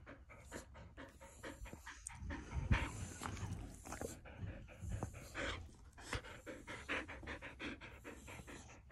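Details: Border Collie heard on a typical morning: rapid, breathy panting in quick soft bursts, with short louder huffs and a few knocks and rustles in the room.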